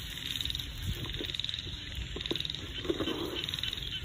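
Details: Small frogs calling in a rice field in the countryside: short, low croaking pulses repeated in irregular bursts over a steady high background hum and a low rumble.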